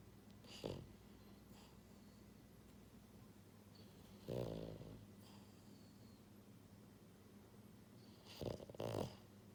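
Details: Pied female French Bulldog puppy, born January 2022, kept as a pet and sound asleep, snoring in three separate rough, rasping snorts spaced several seconds apart in a quiet room.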